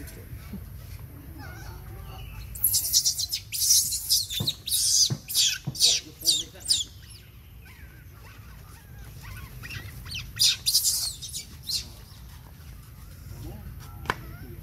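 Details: Baby monkey crying for its mother's attention around breastfeeding: shrill, high-pitched bursts in a rapid string for about four seconds, then a second shorter bout after a pause, over a low steady background rumble.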